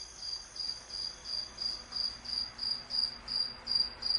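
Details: Softer, more distant night insects: thin, very high chirps repeating about three times a second, each rising and fading, over a faint background hiss.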